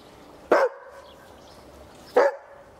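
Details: A 14-month-old Berger Picard being taught to bark on command gives two short, sharp barks about one and a half seconds apart, in a quiet room.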